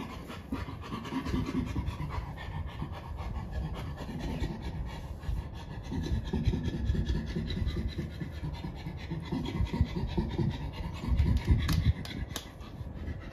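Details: At Chimpanzee Sanctuary Northwest, a captive chimpanzee pants hoarsely in a long run of quick, low breaths, swelling and easing in loudness, with a couple of sharp clicks near the end.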